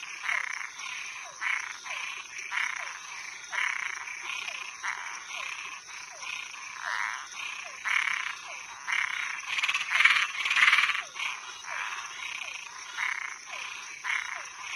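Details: Toads and tree frogs calling after dark, a steady train of short buzzy croaks roughly twice a second with soft falling chirps between, one louder rattling burst midway, over a persistent high drone.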